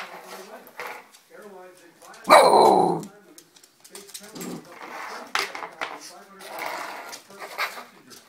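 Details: Sixteen-week-old corgi puppy, disliking being brushed but playing with her brush, gives one loud, sharp bark amid quieter growly noises and human voices.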